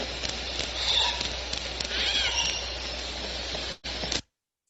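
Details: Southern Resident killer whales recorded underwater near Roche Harbor give squealing, harmonic pulsed calls that bend up and down over a hissy background.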